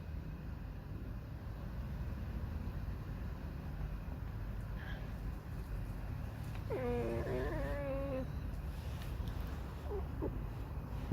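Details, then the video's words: Pet fox Alice whines in a grumpy mood outdoors. A single wavering, nasal, harmonic whine lasts about a second and a half, with a faint second cry after it, against steady low rumble. "Lis Alicji. Skrzypi, śpiewa smutny piosenkę"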